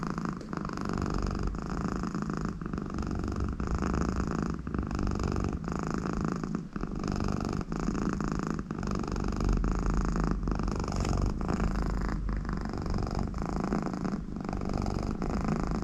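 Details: Contented American Shorthair cat, Conny, purring while her owner sits next to her; deep unbroken rumble with rhythmic inhale and exhale swells and brief dips every second or two, also snore-like nasal sounds, in a quiet room.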